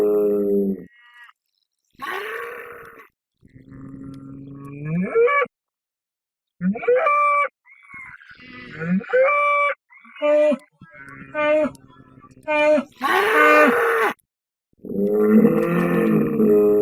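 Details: Bull sound effect: a series of tonal, harmonic bellows and moans, some gliding upward at the end, broken by silences. Two louder, rougher broadband roars come near the close.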